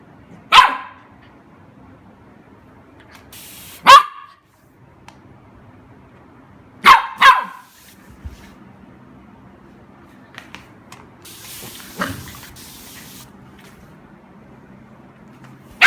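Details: Golden Retriever puppy playing with a water spray outdoors: sharp single barks and a quick double bark spaced several seconds apart, with bursts of hissing spray between them.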